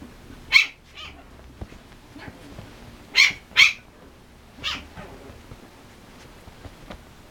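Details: An energetic particolor male Chipoo dashing around as if wrestling utters short, high squeaky yips, one alone, then a quick pair, then another, separated by soft rustling and near-quiet gaps.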